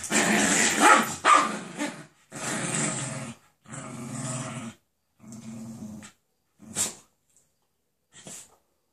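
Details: Jack Russell Terrier attacking a Doberman over a bed indoors; loud snarling growls and rough barks at first, then shorter grumbling growls fading to a few sharp sounds and silence.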